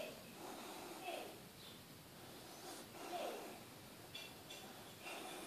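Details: Sleeping Staffordshire terrier named Loki, captured close at the front, snorting and snoring: three broad, throaty breaths roughly two seconds apart, each a short rasp fading into quiet hiss.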